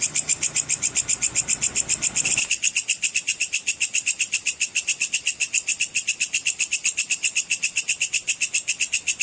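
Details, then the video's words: Sword grasshopper, called belalang pedang cicir, played as tutoring audio for contest songbirds; a continuous, sharp, high-pitched pulsing chirp runs nearly four times per second, with a faint low hum underneath early on. "suara belalang pedang cicir full untuk masteran semua burung lomba"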